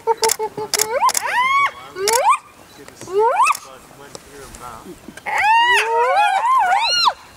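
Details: During an adult spotted hyena's relentless attack on a young clanmate, drawn-out whining squeals climb and fall in pitch, some wavering, in near-continuous bursts with brief pauses and clicking noises between.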